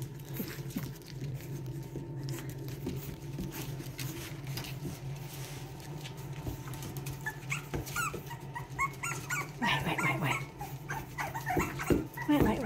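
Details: Two Boston Terrier puppies, a litter from Lily and Lil Red, playing together: a long stretch of low rumbling background gives way to a burst of squeaky, high yips and short whines in the final seconds.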